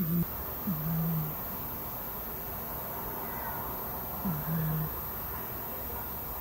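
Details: Sleeping domestic cat snoring: two slow, low, droning snores a few seconds apart, each starting with a brief rise then holding a steady tone for about half a second, over a quiet steady hiss.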